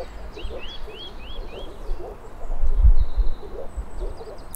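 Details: Moor frogs (Rana arvalis) calling: soft, low, muffled notes repeated rapidly in an uneven chorus, overlaid by a bird's quick rising chirps repeated about once a second and a low rumble of background noise.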